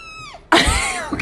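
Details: Domestic cat meowing with a short falling cry, suddenly covered by a loud burst of rustling noise and a brief voice-like sound.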